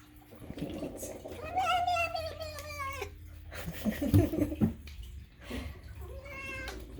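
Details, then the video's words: A domestic cat lets out a long wavering meow indoors, then a shorter one later, amid human chatter, thumps and soft music. "is all this unhinged meowing truly necessary?"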